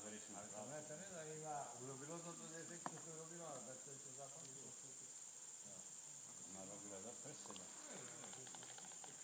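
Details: Greater mouse-eared bats at Ratkova: a dense burst of rippling, up-and-down harmonic squeaks early on, a quieter stretch, then renewed chatter, all over a steady high hiss.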